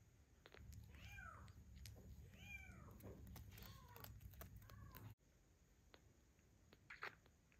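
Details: Weakest kitten of Ginger's litter, a redheaded baby weighing 130 grams, not getting enough milk from his mother and bottle-fed with formula, gives four high arching mews within five seconds, then a quieter stretch with one short squeak near the end.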